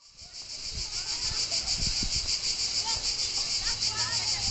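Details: Cicadas near the beach at Palombaggia, Corsica, give a steady, high, shrill buzzing drone that pulses rapidly and evenly without a break, with faint low rumbling underneath.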